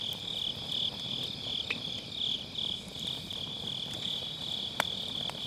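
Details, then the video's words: Grass insects on an autumn night, recorded beside a round fire-pit campfire with a Sennheiser MKE600 and low cut: a steady high pulsing trill that never stops, with crackling firewood snapping sharply over it. "가을밤 풀벌레 소리"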